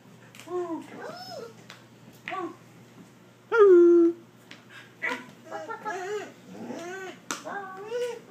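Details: Border Collie 'talking', a string of short whining, yodel-like vocal sounds with rising and falling pitch, some arching upward, in a small indoor room, with one louder sustained whine near the middle.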